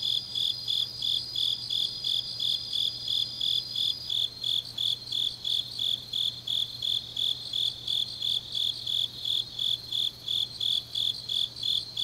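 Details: Grass insects at night in autumn, Changnyeong, South Gyeongsang, Korea: repeated high chirping pulses near three per second under a shrill trill that shifts slightly in pitch partway through; a quiet low hum persists.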